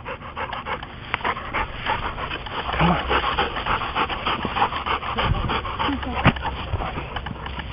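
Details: A big purebred American Bulldog pants hard after leaping about ten feet into the air at a bar. The breathing comes as rapid, breathy bursts, roughly three per second, while people talk and encourage the dog nearby.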